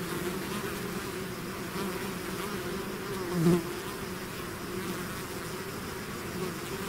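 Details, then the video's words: Swarm of bees out of its hive, a dense steady drone with wavering low hum bands, one louder bee passing close near the middle; no other sounds. "bees therapy swarm natural buzzing sound"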